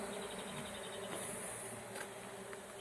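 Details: Honey bees during the capture of a swarm: a steady, dense buzzing hum fills the whole recording, with a faint tonal whine and brief clicks over continuous background hiss.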